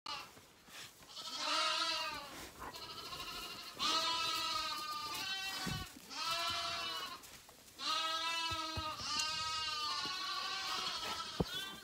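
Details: Several Zwartbles lambs (Ovis aries) bleat in the morning at feeding time on a farm in County Kilkenny, Ireland, with overlapping long, wavering, nasal cries of one to two seconds each, calling almost without pause.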